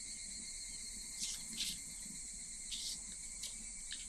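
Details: A steady, piercing drone of cicadas recorded in Japan in summer, holding several high buzzing tones, with brief rustling crackles breaking through a few times.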